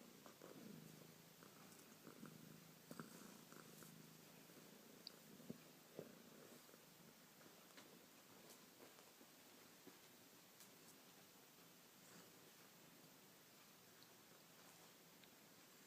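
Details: Bubbles, a female pet cat, purrs quietly indoors; a faint, even low rumble beneath constant hiss with a few small clicks.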